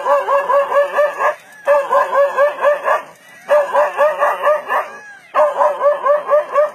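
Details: Dog barking at a leopard, the barking said to have saved it from being eaten; rapid strings of sharp barks run in bursts of over a second, with short gaps between.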